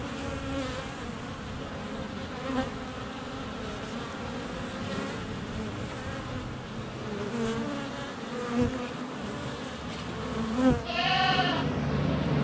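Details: Flying honey bees buzz around the entrance of a hive on a sunny February day, GoPro Hero 7 Black under a foot away; steady drone with a few soft knocks, and a goat bleats near the end.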